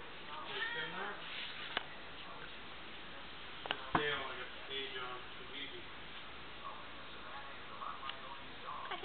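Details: Indoor domestic cat meowing again after being asked a question by its owner; several short, rising-falling harmonic meows mixed with a person's speech in a small room.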